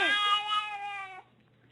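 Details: Pet cat letting out a single long, bright meow that starts with a quick rise, holds a steady tone for about a second, then cuts off abruptly.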